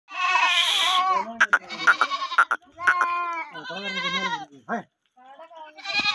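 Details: Kodi goat kids, a group of thirteen young males offered for sale, bleating repeatedly with quavering, wavering cries that overlap one another in quick succession, some higher and thinner, others lower, with brief pauses between bursts.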